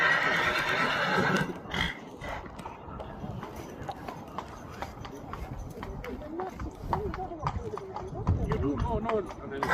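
A stallion gives a loud, shrill whinny, followed by clopping hooves and people talking.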